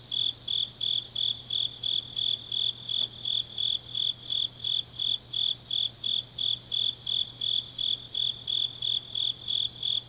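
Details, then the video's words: Autumn night chorus of grass insects from Changnyeong, Gyeongnam, Korea; bright high-pitched chirps repeat in a regular pulse near three per second, overlapping layers of callers, a soft constant hum low in the background. "깊은밤 가을 풀벌레 소리"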